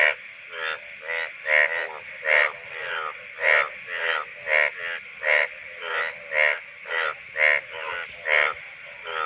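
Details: Monsoon breeding-season calling of male Indian bullfrogs from the shallows of a water body. Loud, nasal, buzzy croaks, each a quick rattle of pulses, repeat steadily roughly twice a second with a short pause partway through.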